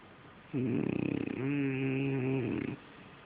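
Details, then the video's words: A French Bulldog snoring while asleep indoors: one long rasping, throbbing breath of about two seconds with a steady, low buzzing tone and quick pulsing flutter, then quiet. "snoring French Bulldog"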